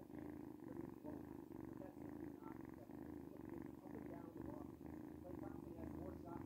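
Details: Steady rumbling purr from Luna, a noisy house cat, indoors: rapid, even low pulses that keep going with little pause, a soft continuous vibrating hum.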